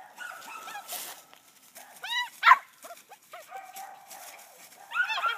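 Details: An 11-week-old female puppy treeing on a hung-up dead squirrel gives short, choppy yelping barks in uneven bursts, with some scattered noise between them.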